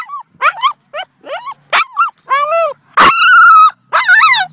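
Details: Excited Boston Terrier near another dog makes a frantic string of high, wavering squeals and yelping whines, ending in one long, steady, piercing whine and a last warbling cry.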